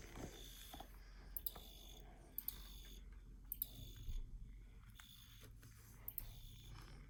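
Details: Bright chirps from a field cricket repeat about six times, one every second or so, each a brief buzzy pulse over a quiet low-pitched hum.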